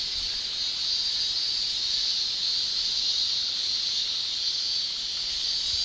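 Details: Shrilling of male cicadas during a Japanese summer, sound made by rapidly buckled tymbals; a smooth, even, high-pitched whine runs uninterrupted and nearly level in loudness from start to finish.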